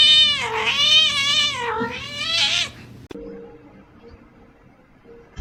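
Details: Kitten giving two loud, drawn-out meows in quick succession, each bending up and then down in pitch, then near quiet with a faint low hum.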